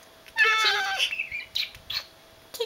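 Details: Domestic cat, one of two cats being looked after in a house, giving a drawn-out harmonic meow that rises and then falls, followed by a few shorter faint mews, with quiet household background.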